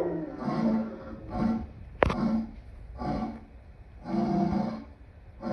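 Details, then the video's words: Lion producing a series of short, throaty grunting growls about once a second, with a sharp click partway through. "Lion sounds"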